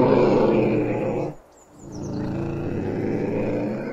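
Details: Ocelot uttering a rough, drawn-out, harmonic yowl that breaks off briefly, then resumes as a steady raspy moan; faint high bird whistles are audible during the pause.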